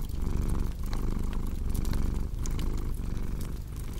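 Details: Close, loud cat purr set against a cozy crackling fireplace for deep sleep; a thick low vibrating rumble with gentle rhythmic breath pulses and a few scattered soft crackles and pops.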